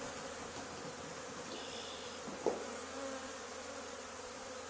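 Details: Honey bee swarm clustered on the wall of an old barn, where a hive had been cut out two days earlier. A dense, steady humming drone fills the clip, with one sharp click midway.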